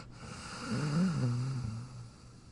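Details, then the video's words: Dog named Jack dozing in his dog bed, giving a single soft, low, wavering snore that swells and fades. "Jack Sleeping & Snoring in his Dog Bed"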